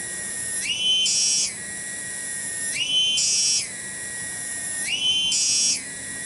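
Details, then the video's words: Loud song of a tonggeret cicada in a kebon, or garden, at Kampung Bunder, Cibening village, Bungursari. A piercing, tonal buzz surges upward in pitch three times, about every two seconds, each surge held then dropping back. "SORA TONGGERET DI KEBON"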